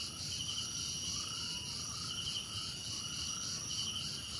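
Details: Crickets chirping in a calming nature soundscape, steady high ringing trills with rhythmic pulsed bursts, while soft upward-sliding notes recur at a lower pitch beneath the insect chorus.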